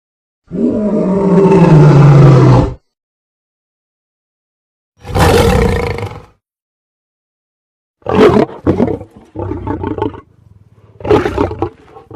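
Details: Lion letting out one long, deep, groaning roar, followed after a pause by a rough breathy burst and then a run of short, choppy, coughing grunts.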